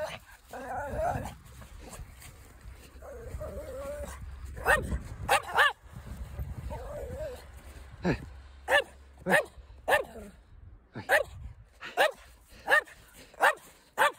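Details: Toto, a two-year-old male Pekingese Chihuahua mix rescue dog from Bosnia, barks to coax Frieda, a twelve-year-old German Hound mix, into play. Whiny vocal sounds and talking come first, then sharp barks repeat roughly every half second.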